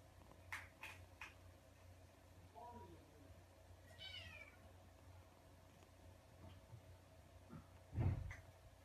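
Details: Kitten meowing indoors: a faint falling cry, then a brief wavering higher meow, with a soft thump near the end over a steady low hum.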